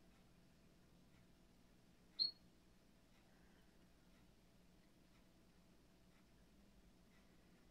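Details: One short, sharp, high-pitched chirp from a glass frog kept in an aquarium, standing out against near silence and a soft background hum.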